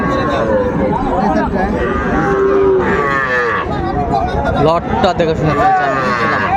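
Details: Sahiwal bull calves being sold at a cattle market in Chapainawabganj, Bangladesh, 19 September 2024. A busy chorus of bellowing moos, some steady and some sliding upward, overlaps throughout under a constant murmur of people talking.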